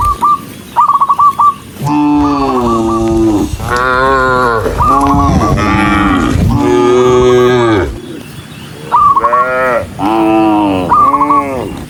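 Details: Dozens of tame cattle walking along as a herd: loud, drawn-out, harmonic moos, each about one to one and a half seconds, overlapping from several animals, with short high bird chirps at the start and near the end.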